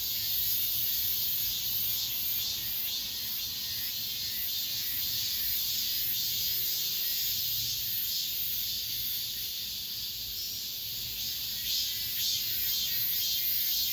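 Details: Cicadas at an apartment complex, the last singers of this summer, keep up a continuous piercing buzzy chorus, rising and falling in gentle pulses roughly twice each second, with no other voices heard.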